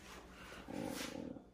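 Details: A Siberian husky playing with its owner gives a brief, throaty, moaning grumble lasting about half a second.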